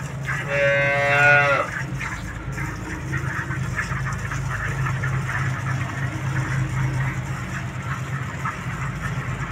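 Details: Farm cow with a compact udder, about to be milked by hand from both sides: one drawn-out, harmonic-rich moo lasting about a second, followed by a steady low mechanical hum and rhythmic background noise.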